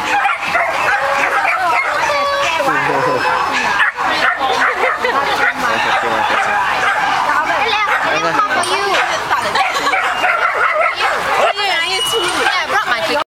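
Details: Shelties at a crowded breed gathering, many dogs at once, giving a continuous din of high, overlapping barks and yelps over thirteen seconds while people talk nearby.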